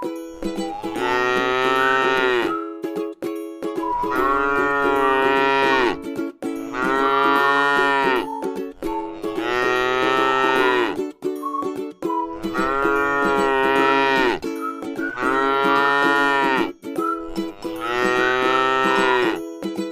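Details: Tame cattle lying at rest in a rice field produce six long, full-throated moos, each about two seconds, following one another at a regular pace over continuous soft plucked music.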